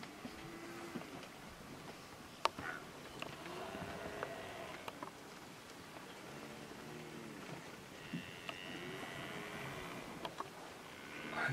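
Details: Cape buffalo herd of over 800 animals at Girivana Waterhole, Kruger National Park, in September 2011. Short arched, moaning calls overlap and repeat throughout, with sharp clicks, a vehicle rumble and faint voices.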